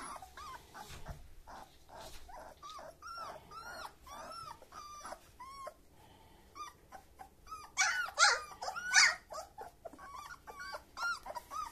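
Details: Black old-type German Shepherd puppies, males and females born 26 July 2021, whine and squeal in a steady stream of high, curved whimpers that rise and fall; near the end several cry at once, louder and harsher, then settle.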